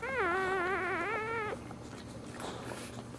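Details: A dog in labour, giving birth standing: one loud, long whine of about a second and a half that wobbles up and down in pitch, then quiet rustling.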